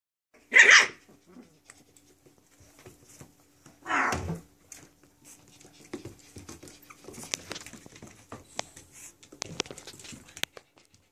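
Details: Chihuahua and Lab/Pit mix puppies wrestling and playing indoors; a sharp, high yap near the start and another short bark about four seconds later, then soft scuffling, thumps and light panting.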